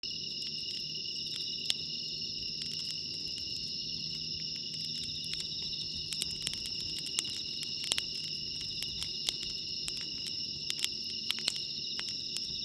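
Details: Bell crickets singing at night beside a campfire at JUTE CAMP FIELD, 23°C: a steady, high, ringing trill that never pauses, with sharp crackles and pops from the burning wood scattered throughout.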